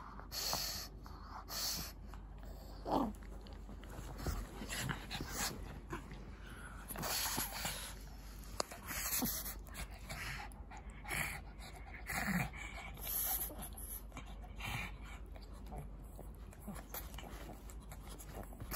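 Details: Shih Tzu and Pug making rough snorting and panting noises, broadband breathy bursts scattered through the clip, a few brief squeaky tones, steady low background hum.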